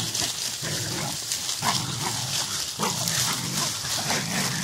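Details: Jagdterrier at a burrow with a fight breaking out: harsh, gruff barking and grunting noises in uneven bursts, under a steady loud hiss of background noise.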